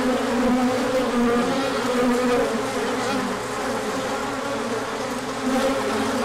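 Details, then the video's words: Orientation flight of a large number of bees, spring sunshine on 24 March 2024 after colder weather. Constant droning buzz, warbling tones rising and falling as bees pass close. "Large Orientation Flight."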